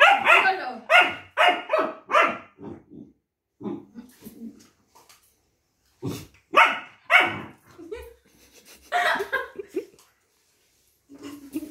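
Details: Long-coated German Shepherd puppy barking while refusing a multivitamin and arguing with its owner: bursts of rapid, harsh barks in quick runs, pauses, then further clustered barks and softer grumbles.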